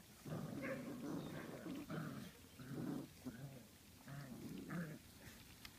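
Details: Poodle puppies from a 2013 litter make low growling and whimpering vocal bursts in several bouts, each lasting around a second, separated by short quiet gaps, with a few faint soft clicks between.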